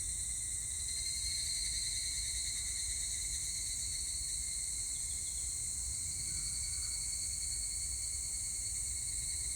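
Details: Steady high-pitched buzzing ring of higurashi cicadas from 25 July 2019, a constant layered insect chorus with a brief louder swell early on and a soft low rumble underneath.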